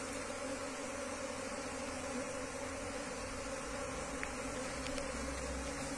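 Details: Wild Asian honey bees being relocated into a hive box keep up an even, low droning hum, with a couple of brief faint ticks late on.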